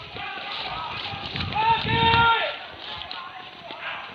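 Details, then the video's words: Dogs on a wild boar pest hunt in Padang Pariaman, at Tarok Sicincin, give bursts of drawn-out, wavering barks. Several voices overlap in the middle, with low rumbling thuds and rustling beneath. "Badendang dendang salak anjiang di buruan tarok sicincin"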